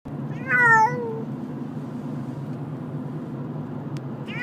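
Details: A female pet cat named Kati, who dislikes travelling from place to place and is scared, gives one clear rising-then-falling harmonic meow lasting under a second, followed by a low steady hum and a brief click near the end.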